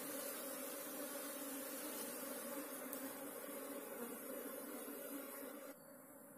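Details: Asian honey bee (Apis cerana) colony nesting in a hole in the ground, heard while the nest is being dug out: a steady, even droning hum with a low fundamental and a clear overtone, dropping slightly quieter in the last second.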